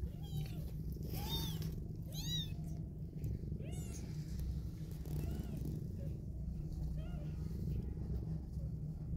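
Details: Newborn kittens with their cuddling mother cat: a low steady purr underlies repeated short, thin, arched kitten mews, about eight in quick succession, then fading.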